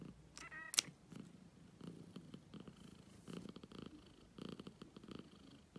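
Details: Black cat purring steadily, low rumbling pulses coming in rhythmic bursts, with a short faint harmonic squeak early on and a sharp click near the start.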